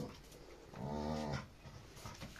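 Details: Aggressive Labrador retriever fighting another dog: one low, rough growl of about half a second, rich in harmonics, over faint background noise.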